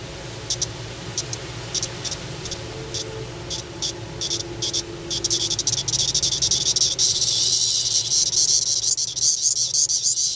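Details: Magicicada tredecula cicadas of Brood XIX calling in the afternoon: a series of short, high, buzzy pulses repeated rapidly at irregular intervals, merging into a louder, steady, shrill chorus over the last few seconds.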